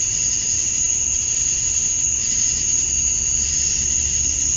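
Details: Male cicadas chirping to attract females at dusk on a summer night in Georgia, USA: a steady, unbroken high shrill drone with a second fainter band below, dense and even throughout, with a low rumble underneath.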